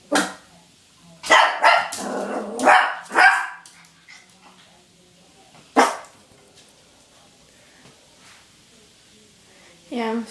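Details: Female puppy Sophie yapping at herself in the mirror, a quick cluster of five or six harsh barks, then a single bark after a pause and a final short yip. A person talks quietly in the background.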